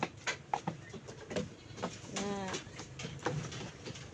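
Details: Goat on a goat farm being offered Himalayan salt, said to be a favourite of the animals; one short quavering bleat with a wavering, pulsing tone, surrounded by clicks, rustling and low human speech.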